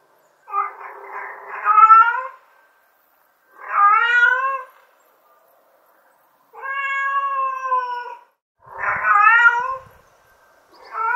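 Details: Mother cat calling for her kittens: five loud, drawn-out, harmonic meows, each lasting one to two seconds with gaps of one to two seconds between them. The last meow is cut off, and the background is quiet.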